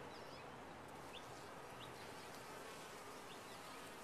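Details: Steady, thick buzzing of many honey bees in a top-bar hive, a constant broad hum with no pauses and a few faint high flicks over the drone.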